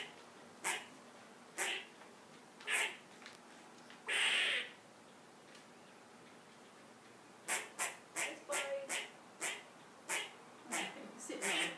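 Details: A squirrel climbed to a perch and sounds the alarm because a cat entered the yard. Scattered harsh barks lead to one longer rasping burst, then a quick, uneven run of sharp chucks near the end.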